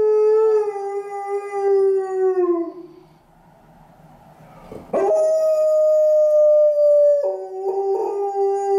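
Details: Female Alaskan Malamute lying on stairs in a stairwell on a gloomy afternoon, howling at a passing ambulance: a long, slightly falling tonal howl, a short pause, then a higher sustained howl that steps down in pitch near the end.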